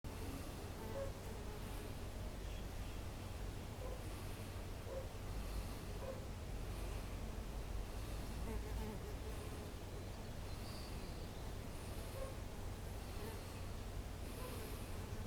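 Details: A low, steady droning hum of bumblebees on ceanothus and wisteria in a garden on 1 April 2021, with faint bird chirps above.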